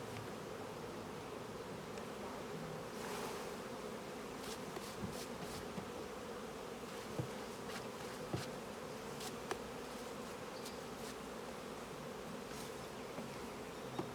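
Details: Colony of honey bees buzzing around an opened hive at honey harvesting time; continuous low droning hum throughout, broken by scattered clicks and taps of handling.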